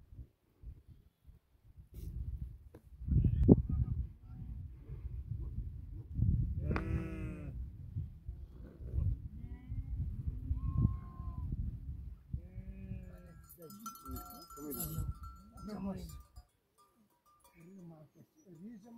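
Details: Sheep from a herd of 2000 tended by eight Tibetan Mastiffs in rural Nepal; several wavering, nasal bleats rise out of steady low rumbling from movement and wind, with a brief human call near the end.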